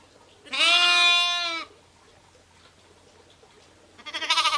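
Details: Sheep, ewes and lambs: one loud, steady, harmonic-rich bleat about a second long, with a wavering quality, then quiet before a second trembling bleat starts at the end.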